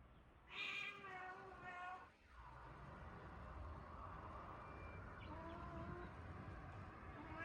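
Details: A cat at a Japan shelter set up in a closed-down school gives a short, bright, harmonic meow with a rising then falling tone, followed by a fainter cry and a steady indoor hum.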